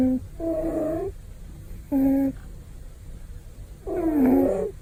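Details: Male house cat napping contentedly and snoring with a big sound: four loud, tonal, whistling snores about every one to two seconds, each a steady reedy hum, the last one wavering and dipping, in a quiet room.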